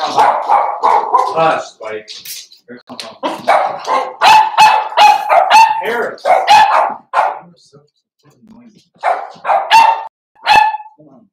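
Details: Four-week-old Cavalier King Charles Spaniel puppies from Daisy's litter in a pen, yipping and barking in quick irregular bursts with some squeaky high notes, while human voices talk at the same time.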